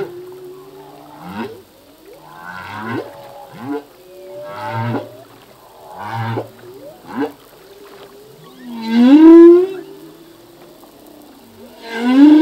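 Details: Humpback whale song from a singing male, whose songs change yearly as new phrases are learned: low grunting pulses and quick upswept cries, then two loud rising moans, with quiet wavering whistles throughout.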